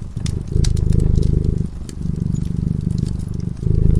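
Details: Cat asleep near a crackling fire purrs with a steady, low buzzing throb that swells and dips with each breath, while fire crackles snap above it.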